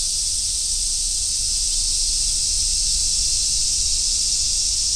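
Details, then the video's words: Summer forest road filled with cicada song, large brown and robust cicadas among them, forming a continuous high, sizzling wall of sound with no pauses, even in loudness, over a soft low background rumble. "夏の林道 セミの鳴き声"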